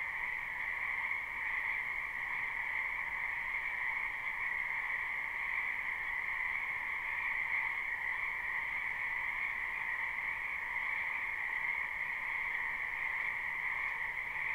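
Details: Many frogs calling in a spring wetland behind a house, a live unlooped recording: a dense, unbroken chorus of overlapping trills forms a steady two-toned drone, high and bright, with no pauses and no other sounds.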